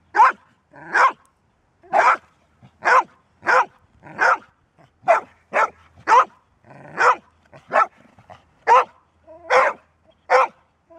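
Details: Golden Retriever barking at length, a dog said to bark rarely and only when needed: loud broadband barks, singly and in pairs, about sixteen over eleven seconds at uneven spacing.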